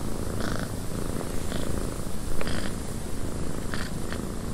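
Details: {'caption': 'Cat purring in a windy cabin, deep steady vibrating rumble underneath, wind hiss above, and several brief scraping or clicking bursts scattered through the clip.'}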